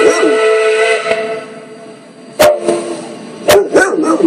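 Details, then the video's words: A dog barks at steam engine whistles, giving a few sharp, loud barks right after a long, steady steam whistle fades. "Funny Dog Barking At Steam Engine Whistles!"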